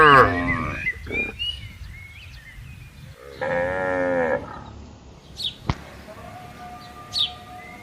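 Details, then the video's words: Grazing tame cattle in a green pasture at morning time in open countryside: a short moo at the start, a faint one, then a full, strong moo of about a second, with scattered bird chirps and whistles around. "Suara Sapi Lembu Menggema di Ladang"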